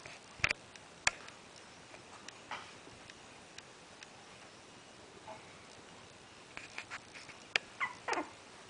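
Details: A 3-week-old male Pembroke Welsh Corgi puppy stares at a person and gives thin, high whines to ask for attention.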